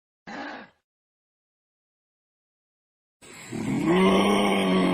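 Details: Kangaroo cub calling: a short rough grunt, then after about two and a half seconds of silence a longer, steady droning tonal call with layered harmonics that swells slightly and holds to the end.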